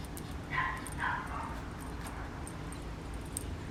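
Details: Ceylon, a Papillon puppy, lets out two quick high-pitched yelps about half a second apart, followed by a steady low background hum and a few faint clicks.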